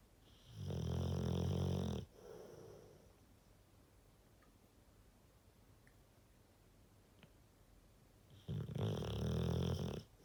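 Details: Rottweiler snores: two loud, low, raspy rumbles about eight seconds apart, each with a quieter breathy exhale after, few faint clicks in between.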